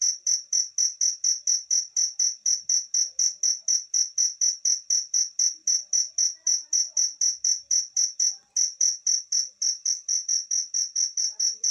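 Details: A pet cricket chirps steadily, its bright high-pitched pulses repeating about twice a second.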